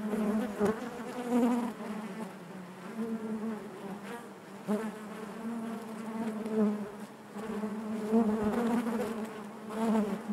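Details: Honey bees buzzing inside their hive: a dense, steady hum with a strong low drone band and stacked overtones, swelling and easing in waves every couple of seconds, with occasional soft clicks from insects moving close by.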